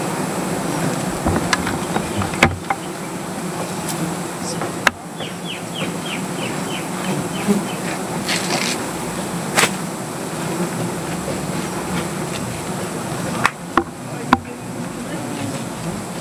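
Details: A cloud of angry native honey bees buzzing as honey is taken from their comb under a tree: a constant droning hum, with a quick series of high chirps from a bird and scattered clicks and knocks.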